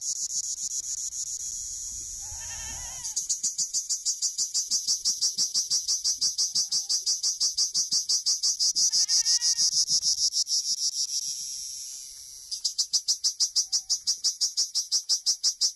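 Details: Shrill, rhythmic cricket chirping at about three pulses per second, recorded while herding Honamlı goats; two short goat bleats break in, and the chirping briefly drops before resuming loudly.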